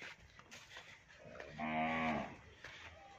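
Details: Pure Nili-Ravi buffalo offered for sale in Punjab, Pakistan, recorded 8/9/2022; one drawn-out, richly harmonic moo of under a second that swells and fades, over faint background rumble.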